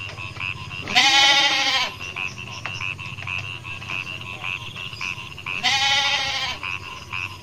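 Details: Young goats on a goat farm in Indonesia give two drawn-out, quavering bleats about five seconds apart. Between them, short, high, chirping notes repeat steadily in the background.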